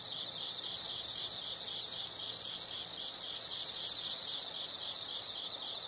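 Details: Loud, unbroken high-pitched insect trill that swells and eases in waves for about five seconds, framed by softer rhythmic chirping at the start and end.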